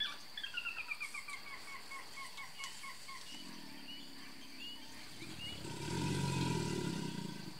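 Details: Bird chirps run in a quick descending series at first, then a large male American alligator in Texas's Brazos Bend State Park answers a rival with low, throbbing rumbles that swell louder near the end, as mating season starts.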